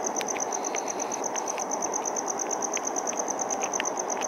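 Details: Male cricket chirping by rubbing one wing's toothed vein against the other with wings held open; a steady, high, rapid pulsed chirp repeated about three times a second over a broad background hiss, with faint ticks.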